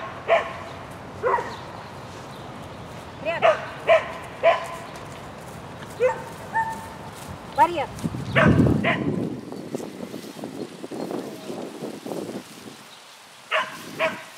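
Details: Shetland Sheepdog working an agility course at a spring 2016 event on 22 May 2016, letting out roughly a dozen high, clipped barks between spells of people talking and a brief burst of handling noise midway.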